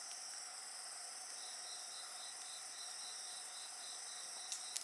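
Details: High, even insect song forms a shimmering wall of sound; a rhythmic beaded trill repeats several times a second in the middle range, and a few fire crackles pop near the end.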